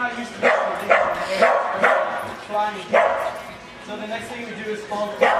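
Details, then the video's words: Dog at a remote dog training demonstration during an RV show in Phoenix, Arizona, giving sharp barks in quick irregular bursts, roughly two per second, with people talking throughout. "Remote dog training - Training your dog"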